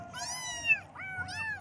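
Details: Young kittens in the morning give one long, drawn-out meow that holds steady then dips, followed by a shorter rising-and-falling meow.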